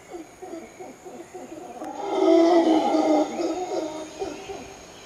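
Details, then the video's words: Howler monkeys howling at Arenal Observatory Lodge, Costa Rica: low, growling roars that swell into a loud, sustained harmonic howl in the middle, then fade, over a steady high insect whine. "Howling Monkeys"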